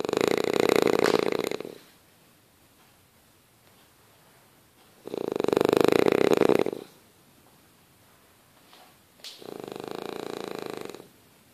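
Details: A sleeping French Bulldog snores in loud, rasping bursts, each lasting under two seconds, with quiet pauses between.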